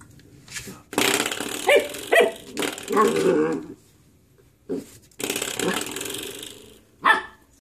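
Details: Ein, a puppy, plays with a door stopper indoors, letting out rough, growly barks and yips in uneven bursts, with one sharp higher yelp near the end and a faint voice in the background.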